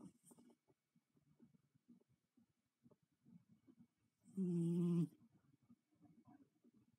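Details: A cat snores in its sleep, giving one short buzzing nasal snore in the middle of quiet low rustling.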